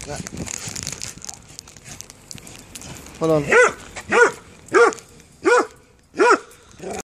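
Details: Hobes, a pet dog, barks excitedly as he is taken out for a walk. Talk comes first, then six loud, ringing barks about every 0.6 seconds, each a sharp rise and fall in pitch.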